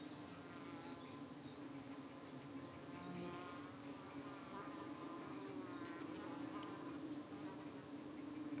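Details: At a hive in the UK one evening, honey bees defend against flies landing on their abdomens: a constant droning hum overlaid by rising and falling buzzy fly-bys, with thin distant bird notes above.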